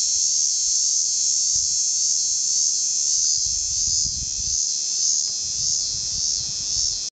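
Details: Noisy cicada in Port Hedland giving a continuous shrill, hissing buzz at constant pitch, swelling slightly at times, with some low background rumble.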